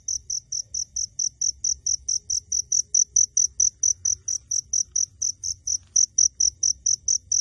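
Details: Crickets chirping unseen even up close, steady high shrill pulses repeating about three times a second.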